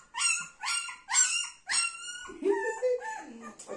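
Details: Young Golden Retriever puppy with its mother and grandmother, giving a run of high, sharp, tonal yelping whines, four quick bursts in under two seconds, then lower, wavering whimpers.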